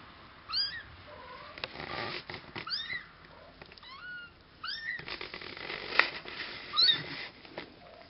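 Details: Cashmere and Bengal kittens, nearly two weeks old, give a busy run of short, thin, high-pitched mews, rising then falling, several overlapping in quick succession, with soft clicks and handling noises between them.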